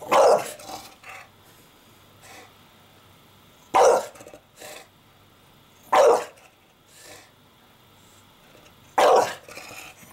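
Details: Porkchop, an English Bulldog building a nest out of laundry indoors and disliking the camera, gives four loud, gruff barks spaced a few seconds apart, with softer grunts and rustling between them.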